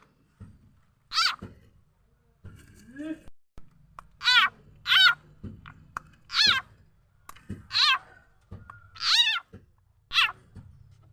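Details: Khiat chana or khiat mo frog, whose sound is used to lure birds, chickens and other fowl: a series of sharp, harmonic, cat-like squeals, each under half a second, spaced irregularly, with faint thumps and handling noise between them.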